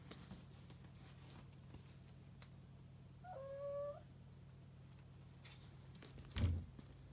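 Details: Domestic cats on an indoor play date between friends' once-fostered, later adopted cats, including orange male Leo, Tirli and Eevee; one short, level, tonal meow midway, over a steady low hum, with a soft thump near the end.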